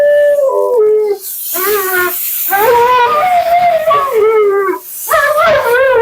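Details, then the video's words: Siberian Husky Mila keeps up her vocal commentary while being bathed and blown out. Her stepped, falling then wavering yowls and howls run almost continuously over a broad hiss of water or dryer. "Talking Husky"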